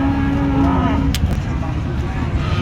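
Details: Bull at the Chandaikona cattle market, giving a brief low steady moo over a busy background of crowd murmur and market noise.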